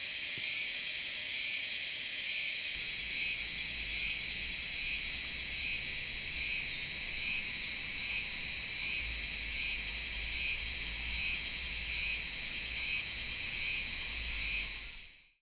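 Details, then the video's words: Cicada Euterpnosia laii singing in Taiwan, a high continuous buzzing hiss with regularly repeated pulsed swells about every second, the series running steadily before ending abruptly; faint low rumble underneath. "賴氏姬春蟬 蟬鳴聲 / Euterpnosia laii"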